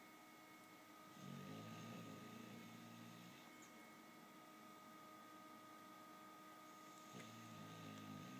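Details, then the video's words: Max, a bulldog asleep, snoring: a long rasping, rattling snore of about two seconds, then quiet breathing and the start of another rough snore near the end, over a steady indoor electrical hum. "Max, the Snoring bulldog"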